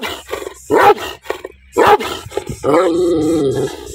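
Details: Two loud barks about a second apart from an angry dog, followed by a drawn-out snarling growl.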